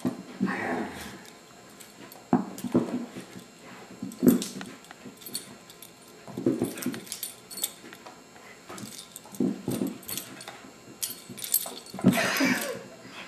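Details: Low, throaty grumbles from Abigail, an adopted foster beagle, arrive in separate bursts every second or two across the recording, with a louder, rougher outburst near the end; faint room sounds and brief speech occur between calls.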